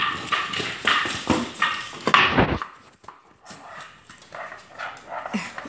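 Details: An 8-week-old imperial Shih Tzu puppy playing with water bottles indoors gives short yappy barks and play noises in the first half, with bottle crinkling and a woman's voice talking softly to the puppies.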